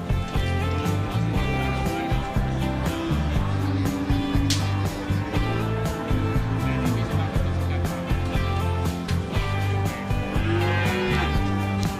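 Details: Loud rock-style music with guitar fills the recording, with faint speech underneath and no animal calls.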